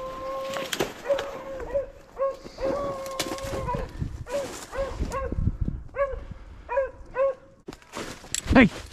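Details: Beagles on a February 2023 rabbit hunt in upstate New York give a run of short, repeated baying notes in steady bursts. A man's voice calls and praises the dogs over the top, outdoors.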